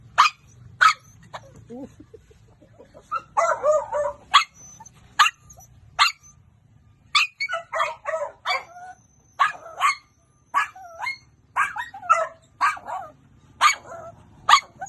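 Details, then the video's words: Pet dog barking in short sharp bursts, single barks and quick double barks spaced about half a second to a second apart, some with a rougher, growly edge, in a quiet indoor setting. "pepper is barking"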